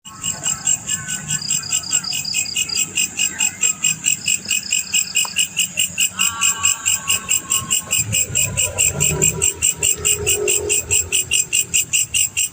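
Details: Male black cricket chirping in steady rapid pulses, about 140 per minute, high and ringing, with faint low rumbling and a brief lower trilling sound mid-clip.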